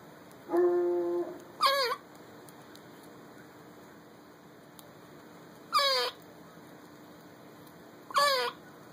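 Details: Olivia, a squirrel, squeaking back at a dog while eating a honey roasted peanut: short high wavering squeaks in three bursts, plus a steadier tonal whine near the start.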